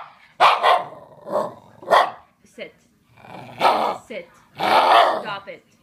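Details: A Shiba Inu, who yells at his owner whenever she sneezes, sniffles or coughs, yells in loud, harsh, wavering bursts, mixed with a woman's voice.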